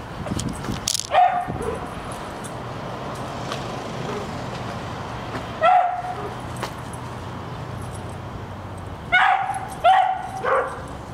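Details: A female dog, having treed a squirrel, gives scattered single high barks separated by long pauses, with a quick pair near the end over a steady low background hum.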